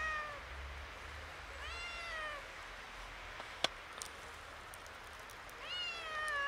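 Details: A slightly frightened kitten meeting snow for the first time, mewing three times: bright, arched meows that rise and then fall, about two seconds apart, with a single sharp click and faint crackles in the quiet pauses.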